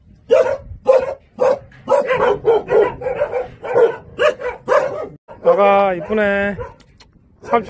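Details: Jindo dog barking repeatedly in quick bursts indoors, followed by a man's voice speaking in Korean near the end.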